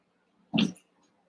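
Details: Cavalier King Charles Spaniel puppy, one of eight playing together after Daisy's six pups were merged with Robin's two. A single short, sharp yip bursts out and fades within a third of a second in a quiet room.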